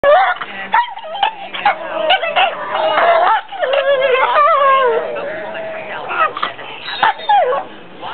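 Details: Two pit bull brothers play indoors in bed, too tired to go outside and not allowed to bark, so they trade this instead: wavering whiny moans and yodel-like howls that rise and fall, overlapping with brief grunts and sharp clicks.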